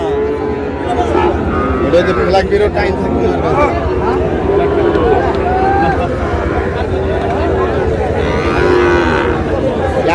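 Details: Sahiwal cattle at a market in Pabna, Bangladesh: several low moos rise faintly through dense crowd noise and bargaining voices, with a clearer moo near the end.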